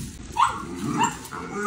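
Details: Mini Dachshund letting out two short, pitched yips about half a second apart, with household background noise and a person's voice nearby.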